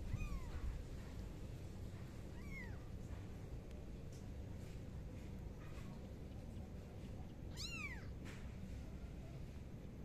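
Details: Pet kitten giving three thin, high, short meows, each quickly rising then falling, spaced several seconds apart, over a steady low rumbling background noise.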